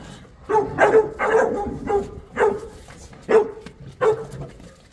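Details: Boerboel, also called South African Mastiff, one of a pair living in Egypt, barks six times over about four seconds in deep, loud, separate woofs, some in quick pairs.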